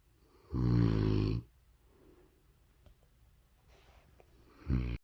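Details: A big male Rottweiler snores loudly in his sleep, with deep, rattling, low-pitched breaths separated by quiet pauses, March 8, 2022.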